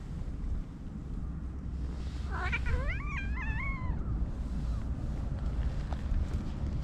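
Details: Stray tomcat in heat trying to mate with a spayed cat, Japan: one short wavering yowl with stacked rising and falling harmonics lasting about two seconds, over steady low rumbling background noise.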